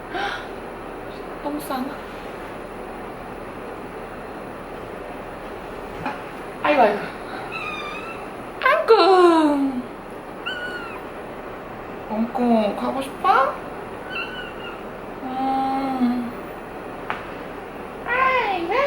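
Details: Two 3-month-old female kittens kept as pets, a British Shorthair named Angko and a Norwegian Forest Cat named Chacha: scattered thin, falling meows, some drawn out, between quieter stretches, with voices and background music.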